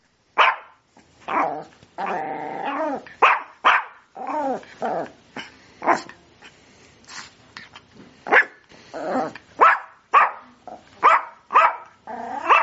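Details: Sprocker spaniel barking excitedly in a dense, irregular series of yelping barks mixed with whiny and growly sounds, nearly continuous for over twelve seconds.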